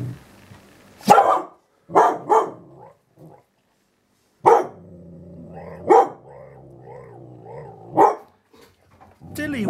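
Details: Eight-month-old dalmatian x border collie dog seeing her own reflection in a mirror for the first time: sharp barks about once a second, then a long low grumbling 'talk' between barks, with a person speaking and brief music.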